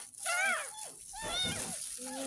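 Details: Ten-day-old kitten, found in a gutter in front of a house, during its first bath: a few high, arching meows, one rising then falling, mixed with a woman's voice talking.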